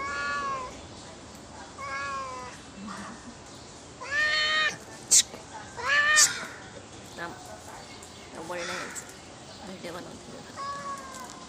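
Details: Stray cat being fed on 29 January 2024 at 4:20 pm, giving a series of harmonic meows, short arched calls around two seconds apart, the loudest pair near the middle, with background chatter and some music.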